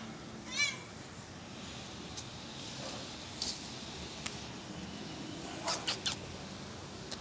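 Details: Kittens playing in plant pots give one short, high, wavering meow near the start, followed by scattered clicks, taps and rustling against a steady background hiss.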